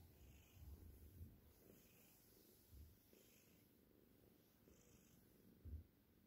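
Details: Purring Cornish Rex with a seal tortie point and white coat: a faint, steady low rumble throughout, broken by a few soft low bumps, over a quiet room background.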